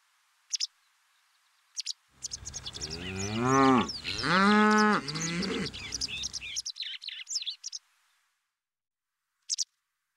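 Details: Charolais suckler cow in a herd on pasture giving a long, harmonic moo of two rising-and-falling pulls lasting about four seconds, with short high bird chirps before and after.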